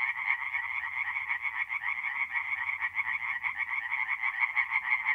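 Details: Tree frogs singing at night in a forest pond in mid-April, north-east Italy: a dense chorus of rapid, rattling croaks overlapping continuously in a steady mid-pitched band, with a faint low hum beneath.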